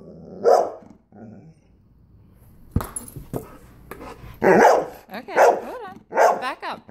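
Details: Golden retriever dog barking while playing volleyball: a loud single bark early, then a run of three rough, harmonic barks about a second apart near the end, with thuds of the ball and faint voices between.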